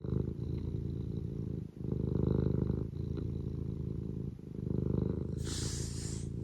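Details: Eric the pet cat purring: a steady low rumbling drone with rapid regular pulses, dipping briefly between breaths, with a faint snort-like hiss near the end.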